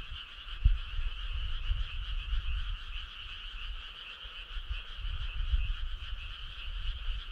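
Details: Many frogs calling together on a summer night by a country road, a continuous pulsing, buzzy trill in a mid and a higher band, over a steady low rumble with a couple of soft knocks.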